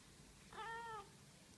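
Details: Cat giving a single short meow about half a second long, a clear harmonic tone holding steady then easing slightly downward, over quiet low background hum.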